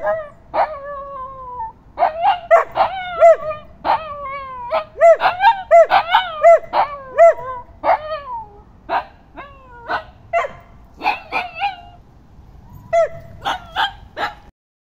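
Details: Several happy dogs sing together in woods in Liverpool, mixing long, slightly falling howls with rapid, rounded yips and whimpering notes. The chorus is dense at first, thins toward the end, then falls silent.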